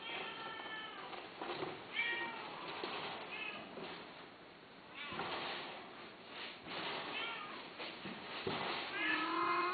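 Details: Domestic cat meowing repeatedly, a run of drawn-out harmonic meows, some rising then falling, several within ten seconds over a steady background hiss.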